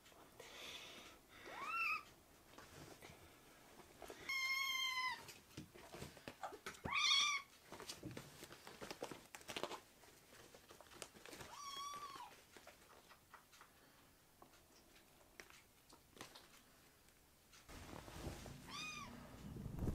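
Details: Rescued kittens in foster care indoors, meowing: several short, high, harmonic-rich meows scattered through the clip with quiet gaps, some arching up then down, with handling noises and soft bumps between calls.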